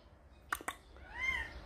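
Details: Calico mother cat Samsaek, after bringing a kitten to the house: two sharp clicks, then a single soft, rising-and-falling meow in a quiet indoor setting.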